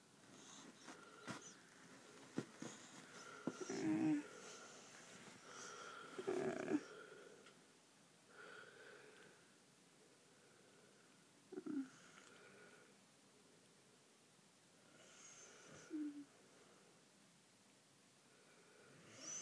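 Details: Sleeping pet Bull Mastiff named Tango, recorded December 6th 2009 in a small room: irregular wheezing snorts and snores, louder bursts near four, six-and-a-half, twelve and sixteen seconds with quieter breathing between.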